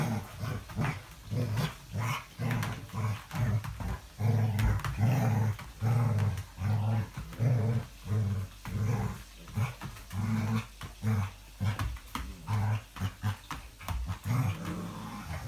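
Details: English Springer Spaniel, recorded 5 February 2017, growling low and rough in short bursts of about half a second to a second, about seventy-five per minute at an uneven pace, with brief quiet gaps between them.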